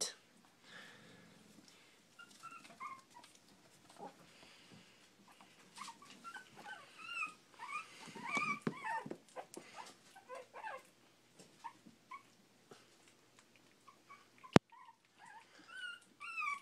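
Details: Four-week-old Shih Tzu puppies, learning to eat and playing, give thin, high squeaky whimpers among soft background sounds; one puppy growls during play.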